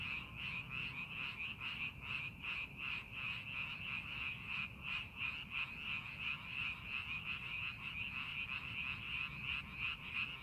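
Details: Frogs croaking in a paddy prepared for the farming season, scenic landscape; steady massed chorus of short rasping pulses, about three per second, layered and continuous, with low rumble underneath.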